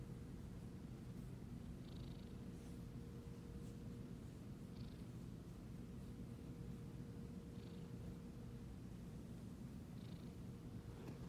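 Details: Continuous deep purr of a Siamese cat under petting, a low rhythmic rumble holding steady, broken only by soft periodic rustles roughly every two to three seconds as the hand strokes.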